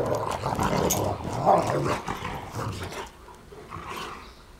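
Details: Great Pyrenees mixes at play, a group of dogs from a Great Pyrenees mother, give loud rumbling growls for about three seconds, then quieter grumbles fading out.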